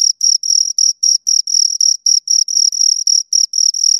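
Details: Two crickets give a piercing, even-toned chirp in quick pulses, some clipped short and others stretched into brief trills, roughly four per second, against total silence.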